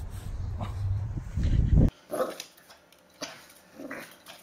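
Puppies giving small, high yips and barks, with a low rumbling noise at the start.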